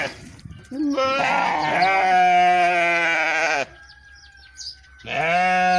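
A sheep gives a long, wavering bleat, then starts a second one after a brief pause.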